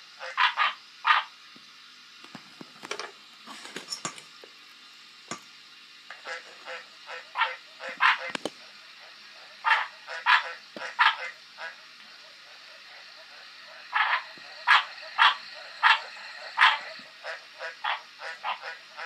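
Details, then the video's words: Green tree frog calling in irregular bursts of quick croaks separated by pauses, some notes doubled, with occasional sharp knocks and clicks nearby. "Green tree frog croacking"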